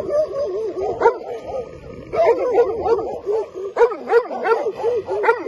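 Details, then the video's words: Several Albanian Molossus guard dogs defend their territory with a fast, steady run of loud, throaty barks, roughly three per second, some overlapping, with short breaks between bursts. "Molosët ruajnë territorin"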